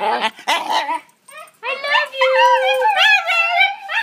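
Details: Talking dogs Luna and Apollo, eager for a car ride and a walk, give loud, overlapping warbling howls indoors. Short yelping notes come first, then long sliding wails that rise and fall together in two-voiced chorus.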